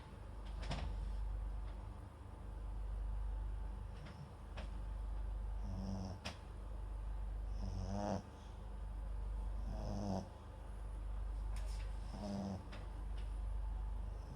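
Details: Sleeping pet dog Max, a Papillon and Japanese Chin cross, recorded close up by a nearby microphone: low, throaty snores about every two seconds, with a few sharp clicks and small rustling noises in between.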